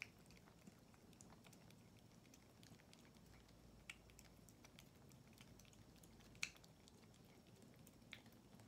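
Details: Tortoiseshell kitten Non, a female ex-stray, frustrated at a slow-squeezed tube treat and tugging it out; quiet moist smacking and ticking chews, with a few louder clicks near the end over soft indoor background.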